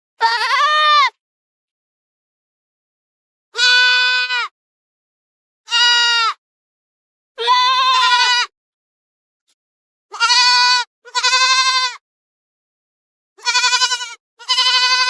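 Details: Goats that graze in forest and field give eight loud, nasal bleats, each about a second long with a steady tone, spaced irregularly over fifteen seconds against complete silence.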